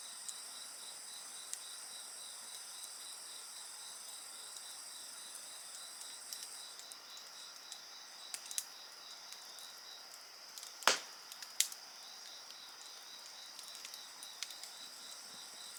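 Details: Night insects singing beside a bonfire: a steady high shimmer of overlapping trilling voices with a rapid pulsed chirping layer, while sharp crackles and pops from the fire break through, one loud snap near the eleventh second.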